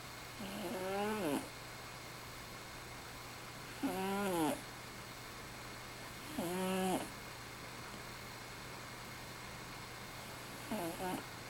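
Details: Sleeping house cat snoring at night, as happens every night; four raspy, wavering inhalation snores roughly every three seconds, each a buzzy nasal drawl with a trembling tone, against a low constant background hum.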